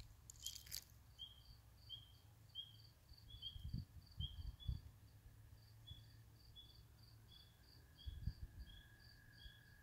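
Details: Spring peepers calling around a swamp house: short, rising peeps repeated roughly every half second to second, set against a steady, evenly pulsed high trill and low background rumble, with a brief loud crackle near the start.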